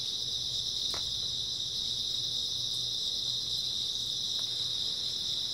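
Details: Early autumn night chorus of grass insects: an unbroken shrill high trill holding steady throughout, with a couple of brief faint ticks and a soft low hum underneath.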